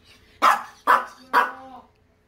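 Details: Maltese named Dubu, an angry dog recovering at home after cruciate ligament and ovary surgeries, gives three sharp, loud barks about half a second apart, each trailing off quickly, in a quiet indoor room.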